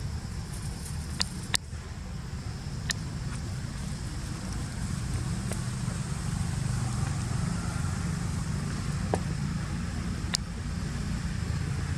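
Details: Steady low traffic rumble from passing vehicles, with a few sharp clicks and ticks scattered over the twelve seconds and no animal voice.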